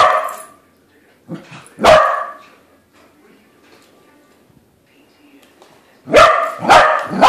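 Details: Pet corgi barking at a corgi-shaped balloon it has just met: a sharp bark near two seconds, then a close double bark at the end, with soft quieter sounds between.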